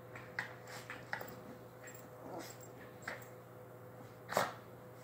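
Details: A dog gives short, soft yips and whimpers spaced across a few seconds, ending in one louder, sharper yelp, over a steady low electrical hum.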